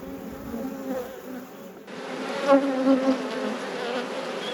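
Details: Beekeeping inspection of honey bee colonies: a continuous low buzzing drone that grows slightly fuller halfway through, with a couple of soft bumps from frames being moved.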